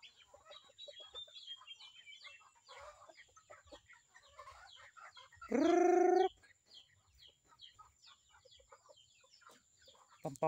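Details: A newly kept Visayan goat gives a single loud bleat lasting under a second, rising at the start and then holding steady, against a steady background of clucking chickens and small chirping birds.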